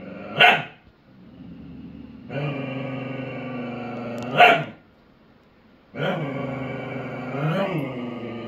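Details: Dogs in a duet: two sharp, loud barks about four seconds apart alternate with long, steady, harmonic growling or moaning stretches lasting about two seconds each, with no other clear sounds.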